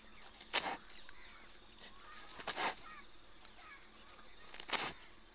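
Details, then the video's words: Sloth bear sucking termites from an ant-hill in a mustard field near Panna National Park, Madhya Pradesh; three forceful, hoarse blasts of breath about two seconds apart, with faint bird chirps in the background. "Sloth Bear eating termites through its snout!"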